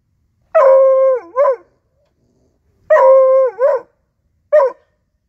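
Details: A 4-month-old male Bluetick Coonhound hunting dog, discovering his first raccoon, gives drawn-out, mournful baying barks, each ending in a short yelp.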